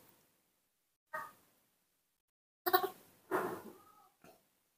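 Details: A hungry newborn baby monkey, just woken in the morning, gives short, high, cat-like cries in a few separate bursts while begging for milk.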